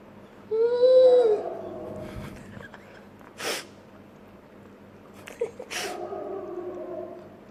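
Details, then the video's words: Dobermann making funny noises indoors: a high rising-then-falling whine near the start, followed by two sharp snorting bursts and a lower drawn-out moan trailing off, with a low steady hum beneath. "Funny noises that a doberman makes"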